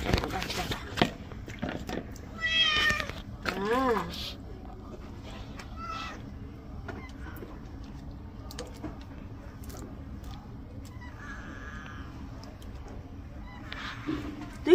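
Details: Cat sitting and waiting for a bath, meowing twice early on, with one rising-falling call standing out, then quieter, over frequent human speech and clatter in a small space.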